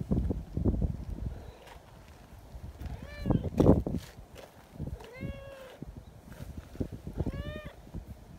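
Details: Friendly silver tabby community cat, described as talkative, talking to someone crouched behind a bench; three distinct arching meows spaced a couple of seconds apart, with handling and rustling sounds between them.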